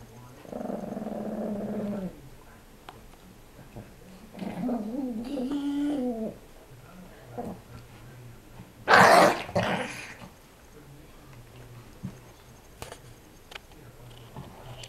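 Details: A 5 lb Chihuahua playing rough with a 25 lb Pitbull puppy. A steady, droning growl is followed by a wavering, whiny growl, then a sharp, loud burst and a few faint scuffles.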